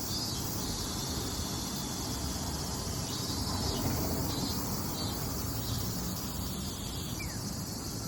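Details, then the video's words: High, unbroken droning of Minmin cicadas in the summer season, 18 August at 17:04, with faint pulsing in the upper band and heavy low background rumble underneath. "ミンミンゼミの季節⭐︎The season of Minmin cicadas"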